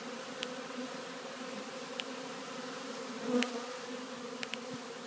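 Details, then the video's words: Steady colony drone as honey bees enter a new hive on 3/7/2013, with brief louder buzzes from single bees passing close and scattered light clicks over the hum. "Honey bees walking into new hive"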